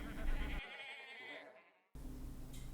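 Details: Sheep giving a short quavering bleat that fades out over about a second, then a gap of near silence, followed by a low, rumbling background sound.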